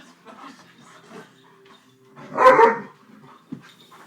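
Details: Pet female Alaskan malamute vocalizing back at her owner as he talks to her: one loud, short, harmonic grumble-howl in the middle, with quiet talking and room noise around it.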